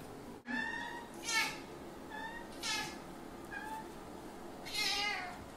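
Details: Bambu the Bengal cat being introduced to Kitty, another cat; three drawn-out, tonal meows with stacked harmonics, spaced about one to two seconds apart, over a low steady background hum.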